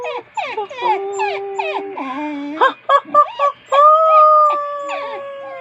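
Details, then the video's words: A pet dog 'talking' back in a drawn-out vocal exchange: quick wavering whines and yelps, then long steady howled tones that hold, drop lower, and rise again near the end. "Talking to my Dog"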